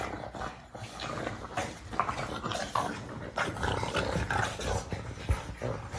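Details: Pug noises: a brief stretch of continuous harsh snuffling and grunting, breathy and rattling, with quick irregular puffs throughout.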